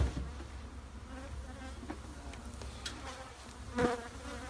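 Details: Honey bees buzzing inside a shed, a low continuous drone with faint wavering overtones, a few scattered clicks and a brief louder burst near the end.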